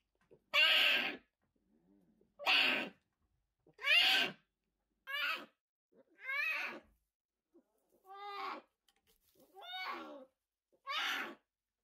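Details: Orphaned new-born brown bear cubs in rescue care, 2023: nine loud, harsh bawling cries, roughly every one and a half seconds, some breaking into wavering, falling harmonic squeals, with silence between them.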